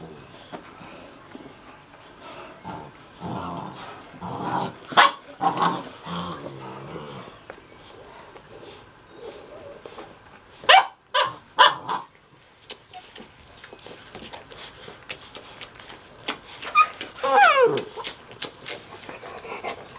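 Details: Six-and-a-half-week-old Mastiff puppies of one litter making tonal whining yelps and short bark-like calls in bursts, one long falling whine near the end, with scuffling sounds and people talking between.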